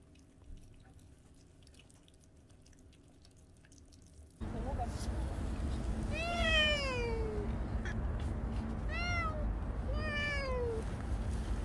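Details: Bolt, a stray cat who lived alongside the family for one year and five months, in its last recording: after quiet room sound, three clear drawn-out meows, each sliding downward, about two seconds apart, over steady background noise.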